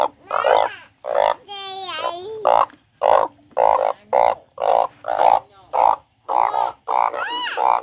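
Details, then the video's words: A frog cries steadily, about a hundred loud, rasping, bleating bursts per minute, fairly evenly spaced, with one higher, strained, wavering wail near the start. "The frog crying"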